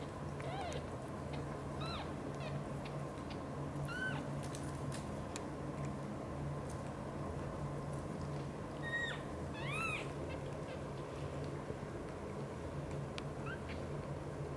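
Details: Mother cat Xaxa, a British Shorthair, caring for her kitten Piano and two adopted kittens, Miracle and Cream. Several soft, thin mews come scattered through the first ten seconds over a steady low hum, then quiet.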